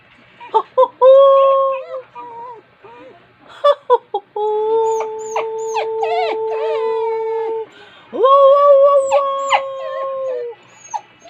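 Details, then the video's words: Pet dog howling along with a person, long steady howls held for several seconds with a slight waver, broken by short yelps and whines, with a person's voice in between. "Talking to my Dog"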